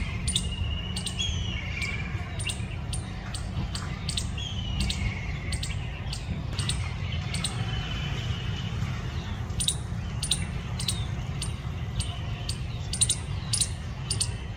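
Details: A squirrel chirps in a long run of brief, dry, clicking notes spaced about half a second apart. Faint thin whistled sweeps come in between, and a constant low rumbling hum runs beneath.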